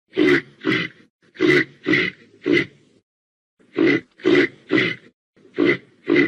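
Ten short, hoarse grunts from a reindeer, in two bursts of five, each grunt about half a second apart, with a brief pause between bursts.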